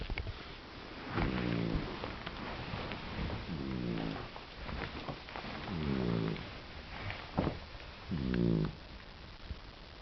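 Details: Sleeping guide dog puppy snoring, four low, buzzy, rattling snores at roughly two-second intervals, with soft background hiss and small clicks.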